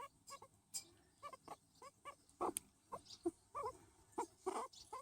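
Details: Pet skinny guinea pig, a hairless breed, vocalising while being patted: short squeaky notes about once a second, some brighter and louder, on a quiet background.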